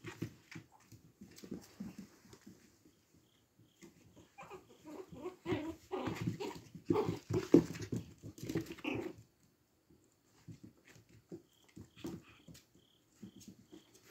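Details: Tiny brown puppy making short snuffly grunts and soft whimpers in irregular bursts, busiest in the middle, with quiet gaps toward the end.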